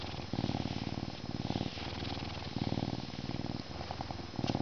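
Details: A male Canada lynx, zoo-born in May 2011 and humanized but not domesticated, purrs in a deep, steady rumble that swells and fades with each breath while being scratched before his meal.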